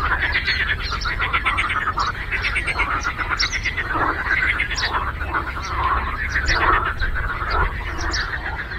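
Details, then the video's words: Frogs croaking together on a lake, a dense chorus of pulsed, rattling calls with some louder grating croaks rising above the mass, over a constant low background rumble. "Frog Croaking"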